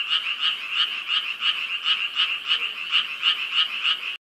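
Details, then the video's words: Frogs at night by a large pond filled with lotus and water lilies at Yangdong Village in Gyeongju, South Korea, calling all night long. Rapid, even, rattling croaks repeat about three times a second, thirteen in a row. "밤에 들리는 개구리 소리"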